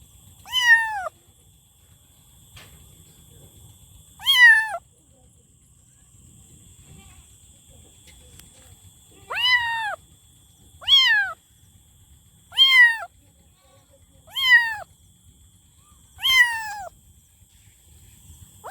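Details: Repeated loud kitten meows, seven short falling cries spaced roughly every one to three seconds, each bright and sharply dropping in pitch, over a quiet background with a faint high steady tone.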